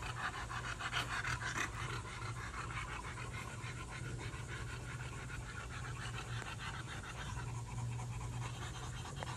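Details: Poolside napping French Bulldog panting rapidly, about three breaths a second, soft and rhythmic beneath a constant low mechanical hum and hiss.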